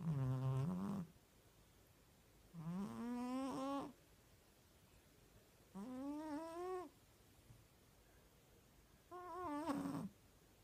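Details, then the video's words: Sleeping pet cat snoring in a quiet room, four rasping harmonic snores roughly every three seconds, each about a second long, pitch rising slightly through the breath, with near silence between. "Когда моя кошка храпит"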